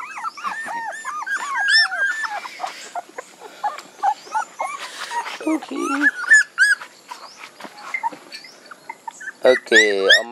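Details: Several puppies whine and yelp in a dense, overlapping chorus of rising-and-falling high cries, rapid and irregular, with a harsher squeal burst near the end.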